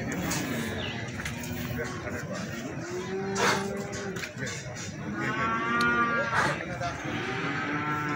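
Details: Feeder cattle at Plaosan cattle market in Magetan, where animals are being sold. Several drawn-out, harmonic moos overlap across the clip, some rising then falling, over a steady murmur of market crowd noise and occasional voices.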